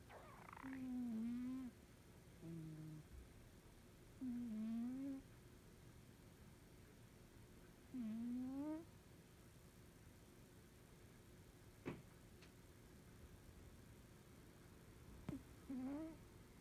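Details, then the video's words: Norwegian Forest Cat asleep and snoring: five droning whistle-like breaths, each slightly wavering and about a second long, spaced about three and a half seconds apart, with a couple of faint sharp clicks in the pauses. "イビキをかいて気持ち良く眠る猫 ノルウェージャンフォレストキャットcat sleeping snoring.Norwegian Forest Cat."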